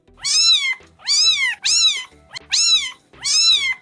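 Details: Cat hidden in a scooter meowing: five loud, high, arched meows, each rising then falling, coming about every three-quarters of a second with brief silences between.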